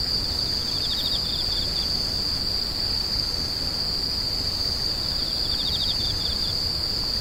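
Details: A high, constant insect ring runs throughout. Two separate bursts of fast, pulsed chirping sound just under it, one near the start and one near the end, over a soft broadband background hiss.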